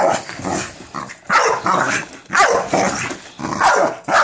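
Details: Minerva, an American Bully, barks at a cereal box: several loud, rough bursts about a second apart, each with a falling tonal edge, separated by short quiet gaps.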